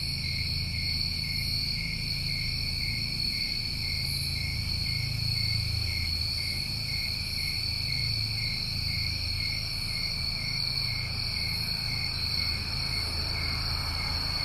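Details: Crickets in New England summertime keep up an even, ringing multi-layered trill, soft higher pulses appearing roughly every one to two seconds, with low-pitched rumbling background noise.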